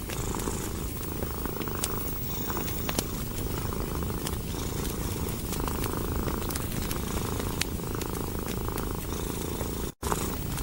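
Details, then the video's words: Relaxed cat curled by the fireplace produces a rhythmic rumbling purr for the whole stretch, overlaid with popping and crackling firewood and one short dropout near the end. "Purring of a Cat & Fireplace"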